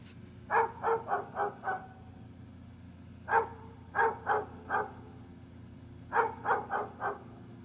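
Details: Rapid bursts of barking from Gunner the dog, three runs of four or five quick barks each separated by short pauses, with a constant low electrical hum underneath.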